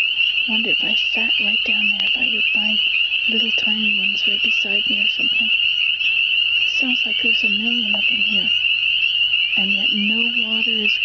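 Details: Frogs singing unseen in spring form a steady, high, continuous trilling chorus throughout, while a person speaks in several bursts over it.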